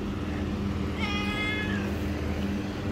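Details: A cat gives a single clear meow about a second in, holding a fairly even pitch for under a second before trailing off slightly lower, set against a constant low mechanical hum that runs through the whole recording.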